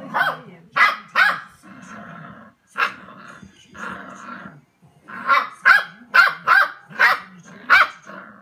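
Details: Female Pembroke Welsh Corgi barking at a toilet sheet she herself knocked over. Rasping growls run between sharp barks, followed by a rapid, insistent run of about seven barks, roughly one per half second.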